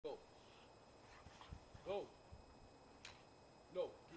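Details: Two dogs, a German Shepherd and a Siberian Husky, playing together in the snow in windy Chicago; three short, tonal, whining yips arrive roughly every two seconds over a quiet background with a faint click.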